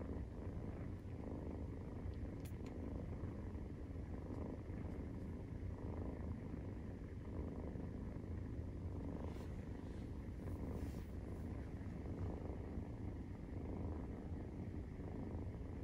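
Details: Steady low purring from Maine Coon cats during nursing, kittens aged 43 days, a soft even rumble with rapid pulses that never stops, and a few faint high ticks partway through.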